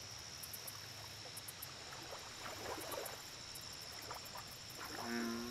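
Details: American bullfrog at a lake, giving one deep, droning, harmonic call near the end after a quiet stretch, over a steady high insect whine, scattered high clicks and soft background rustling.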